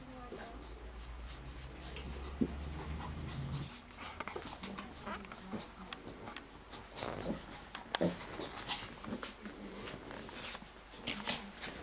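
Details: Lhasa Apso and Shih Tzu dogs playing together indoors: low rumbling growls in the opening seconds, then scattered scuffles, clicks and thumps, with a human voice now and then in a small room.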